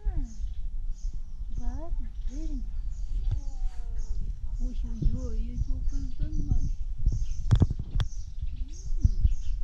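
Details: Tabby cat meowing in a funny, duck-like way: a series of short, tonal, arched meows that rise and fall, several per second at times, over a steady low background rumble.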